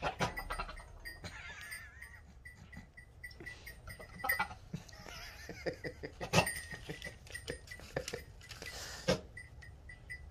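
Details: Jack-Jack, a male myotonic (fainting) goat who is kept from breeding, courts with wet licking, sharp spitting bursts and heavy mouth breathing.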